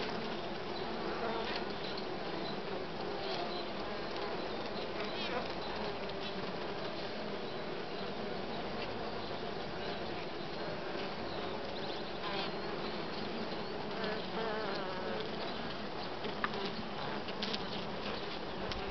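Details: Steady hum of western honey bees around uncapped brood, larvae lying in the cells before capping; continuous even droning with layered low tones and scattered soft ticks throughout.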